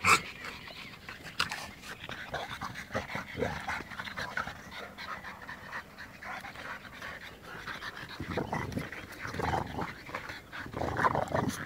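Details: Dog, from a comparison of an American Bulldog, French Bulldog and Bull Terrier: rough, breathy panting and snuffling in uneven bursts, louder near the start and again toward the end, with scattered clicks and handling noise.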